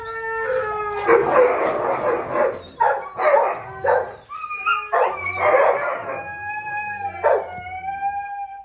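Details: Siberian Husky with red-brown coat, filmed around breeding; wavering tonal howls and whines near one kilohertz band, broken by noisy bursts and short yips, rising and falling over several seconds.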